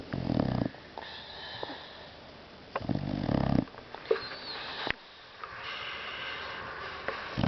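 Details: Sleeping Boxer mix dog snoring indoors: two heavy, rumbling snores a few seconds apart, followed by softer whistling, wheezy breaths and a brief sniff.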